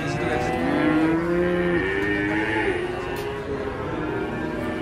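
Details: A cow lows in one long, slightly rising moo, then softer trailing calls, while cattle are prepared for unloading from a truck; music hums in the background.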